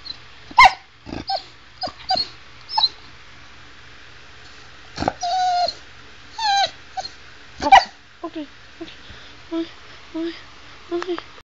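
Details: A female Chow Chow kept as a pet, vocalizing to her owner as if talking, with short yips, grumbles and bending whine-howls in irregular bursts, some quiet pauses between, and the owner talking back.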